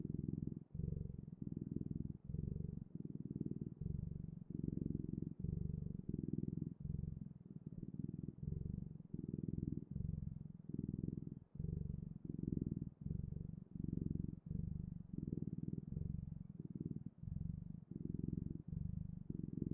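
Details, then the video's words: Domestic cat purring steadily, a low rumbling vibration broken into even bursts of roughly a second each, with brief gaps at every breath, close and continuous in a quiet indoor space. "Sounds of Cat's Purring"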